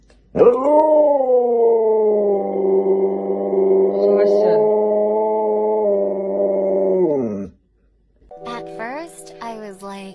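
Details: Pet dog that does tricks lets out one long, steady, level howl lasting about seven seconds, ending with a slight drop, followed by brief clattering sounds.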